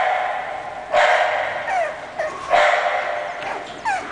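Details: English Bulldog giving two loud, rough barks about a second and a half apart, each followed by softer yelping tails and a brief whine-like rise near the end.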